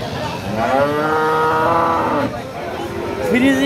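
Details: A Friesian cow lows at a busy cattle market, one sustained, slightly rising moo rich in harmonics lasting about two seconds, followed by a brief higher call, with music and murmuring voices behind.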